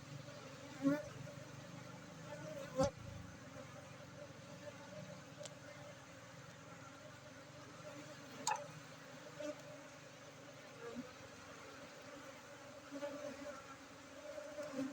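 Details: Honeybees at an apiary in Tingkem Bersatu village, Bener Meriah, Aceh, during a honey harvest on Friday 4 August 2023; a quiet, steady droning hum persists throughout, broken by a few sharp knocks and clicks.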